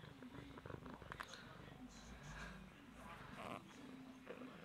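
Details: Tabitha, a pet cat, rolling around and being sweet indoors, purring in a steady low rumble while a person calls her name and chats over it.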